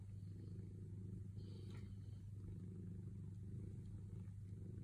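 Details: Purring from Sailo, a cat waiting patiently for affection: an unbroken low buzz-like rumble, quick and steady, with a brief faint scratchy sound about halfway through.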